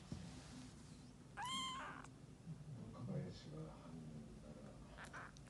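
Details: Rescued calico kitten, two to three weeks old, meets the resident black cat indoors; one clear arched meow, then quiet voices and low rustling.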